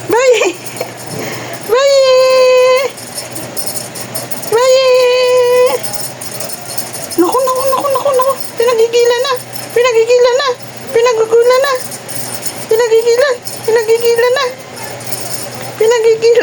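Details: A talking cat gives a string of meows: two long, steady, drawn-out calls near the start, then about seven shorter, wavering meows in close succession, each separated by brief pauses.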